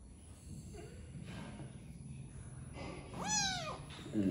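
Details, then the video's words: Muffled background rustle and noise, then a domestic cat lets out one bright, arching meow that bends upward and falls away. "Funny Cats and Kittens Meowing"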